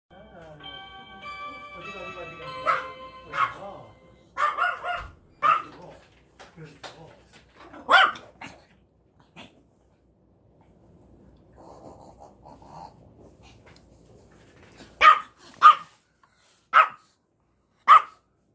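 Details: Puppy glad to see dad yet busier blocking mom: opens with musical tones and people talking, scattered soft noises, then four loud, sharp barks packed into the final three seconds.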